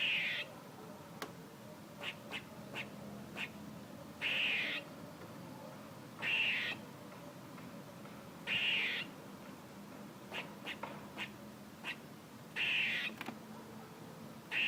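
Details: Squirrel repeating coarse, nasal, buzzy calls every two to four seconds, four bursts in all, interspersed with short sharp chips and clicks against a steady low hiss.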